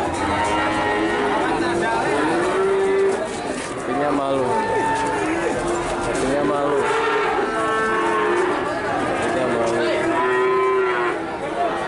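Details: Many cattle gathered for sale, mooing over one another in a constant chorus of overlapping low bellows and longer calls, some rising then falling, with steady crowd murmur underneath.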